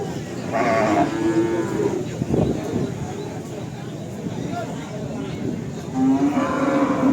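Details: Cattle lowing at Pasar Sapi Kerek in Tuban, East Java, where Simmental stock is on sale: two separate moos, one near the start and a longer one near the end, with crowd murmur and occasional speech between.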